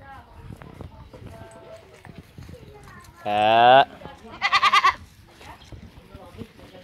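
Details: Goat in an open pen, foraging freely for its own food, gives two loud harmonic bleats: one steady, one wavering and broken into pulses, with a person repeatedly calling and other voices and shuffling around.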